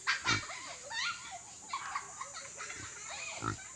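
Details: Native pigs on a farm, heard in a run of short, wavering high squeals mixed with low, abrupt grunts at irregular intervals, over a steady background hiss.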